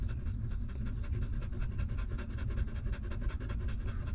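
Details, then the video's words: Newborn puppy of a stray dog drinking its mother's milk, producing brisk repeated wet sucking pulses in a tight even rhythm, backed by a strong low rumble and a faint sharp tick near the end. "Watch This Hungry Puppy Suck Milk"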